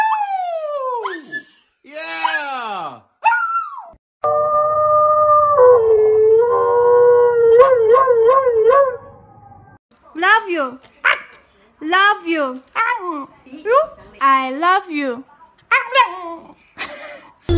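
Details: Pet cat from a compilation of talking cats: drawn-out meows sweeping downward, then a run of short arched, rising-falling meows repeated about once a second, with a stretch of steadier vocalizing and brief household sounds between.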